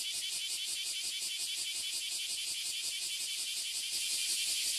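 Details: Oily and Bear Cicadas massed on a tree in Toyohashi City, Japan, produce an ear-splitting, high, grating buzz with quick even pulsation that swells a little louder toward the end.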